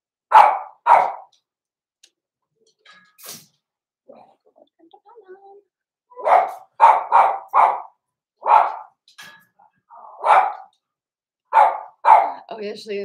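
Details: Blenheim Cavalier King Charles Spaniel puppies indoors, giving sharp yappy barks in quick pairs and bursts with short pauses between, some softer whines and yips in the gaps, and faint human speech.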